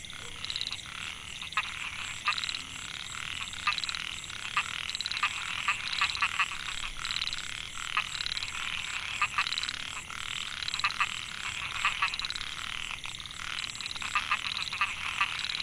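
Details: Dense chorus of narrow-mouthed frogs (Microhyla pulchra) in a rice field at Mae Hia, Chiang Mai, Thailand, 2014, males calling to attract females. Continuous overlapping raspy buzzes and clicks from many frogs, with a persistent high-pitched hum.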